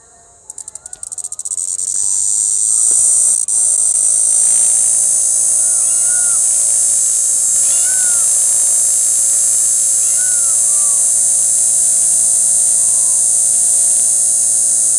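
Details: On 9 April 2021, in the bushes of the Panchkula forests, cicadas give a loud, steady, high-pitched buzz that swells in and holds unbroken, with faint bird whistles behind.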